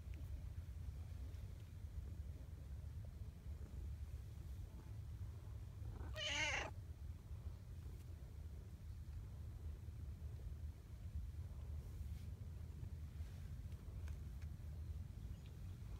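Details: Affectionate female brown tabby community cat utters one brief bright meow midway, otherwise quiet apart from a constant low rumble of background noise.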